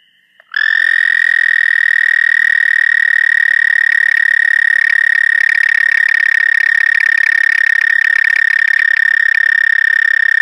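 A toad gives a long, steady, high musical trill that carries on without a break.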